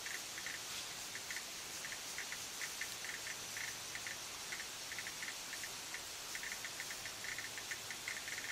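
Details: Cicada song: a steady, high, hissing drone fills the background, with short, irregular, mid-pitched chirps scattered across it and a faint low hum underneath.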